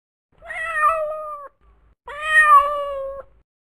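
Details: Pet cat meowing twice in a quiet room, both calls long and even-pitched, lasting roughly a second each with a brief silence between them.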